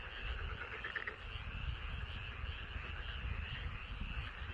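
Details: Rice paddy frogs near a house calling together, a short stretch of continuous trilling croaks, with a strong low-pitched rumble of background noise.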